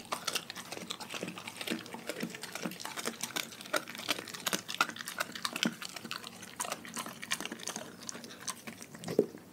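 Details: Dogs from a household pack chew their raw diet in a small room. The crunching and tearing sounds are continuous, with crisp, bone-like cracks scattered irregularly and a loud final snap near the end.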